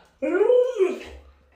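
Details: Alaskan Malamute named Luoluo, a pet dog, fawning and hugging a leg while begging for a piece of watermelon; one drawn-out, moaning whine of under a second, rising slightly then sliding down, rich in overtones, in a quiet room.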